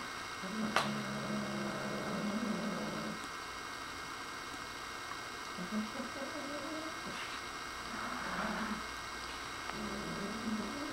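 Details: Nigel, a pet dog indoors, growls at a new feather-tipped toy he seems to think is alive: low, rumbling growls in drawn-out bursts of a couple of seconds, pausing and resuming several times, with a brief sharp knock early on.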